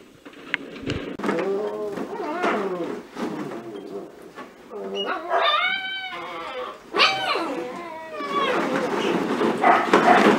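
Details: Cocker spaniel puppies of a B litter playing in a ball pit; a run of high, wavering whines and short yips, some with rising-falling pitch, over rustling and clattering plastic balls.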